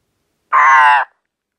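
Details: In spring, an ornate horned frog (Ceratophrys ornata), which calls every night, gives a single loud, nasal, crow-like croak lasting about half a second.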